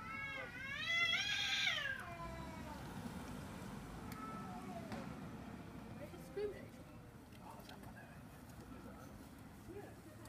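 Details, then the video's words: London cats quarrelling over a garbage container give one loud, strained yowl that climbs and then sags in pitch, followed by quieter street noise and a few faint sounds. "London Cats Fighting over Garbage Container"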